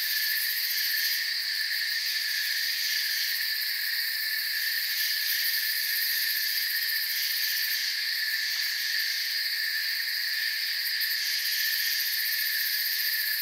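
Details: Many crickets chirp together in a forest, forming a steady high buzzing wall of sound with faint rhythmic flutter in the top register and no other clear sounds.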